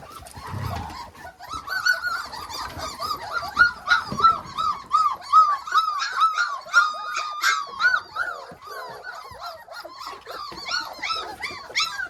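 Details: Several Hovawart puppies on a deck run for the first time; a chorus of thin, wavering squeaks and whimpers, some long sliding whines, repeated rapidly with short gaps, plus brief low thumps.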